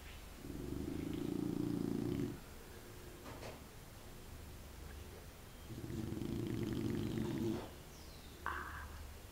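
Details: A sleeping pot-bellied female pet dog snores in two long, rough, rasping breaths of about two seconds each, roughly five seconds apart, followed by a brief higher squeak near the end in a quiet room.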